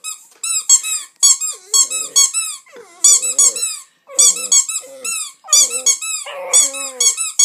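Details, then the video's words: A two-month-old Staffordshire Bull Terrier puppy "sings" while being played with, whining and grumbling in wavering tones among sharp, repeated squeaks from a toy. "Staffie de 2 mois qui chante ( staffordshire Bull terrier )"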